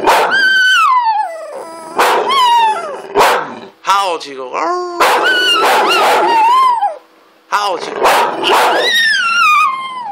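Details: Chico the dog howls loudly in long, wavering notes that glide downward, three main bouts with short breaks between, while a person howls along and talks encouragingly.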